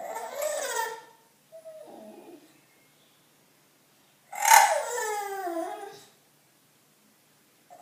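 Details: Loetje, a bulldog seeking attention indoors, lets out a loud strained whine, a brief soft whimper, then after quiet a sharp-onset wail that slides downward over nearly two seconds.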